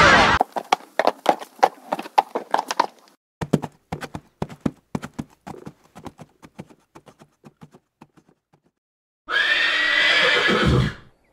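Hooves clop steadily and fade away, then a horse gives a loud, shaky whinny.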